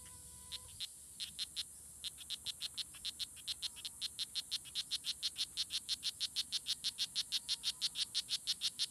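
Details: Strawberry poison dart frogs (Oophaga pumilio) fighting at La Selva Biological Station near Sarapiquí, Costa Rica, on June 24, 2016. After a brief pause come rapid, high, buzzy clicks, about three per second and evenly spaced, continuing steadily to the end.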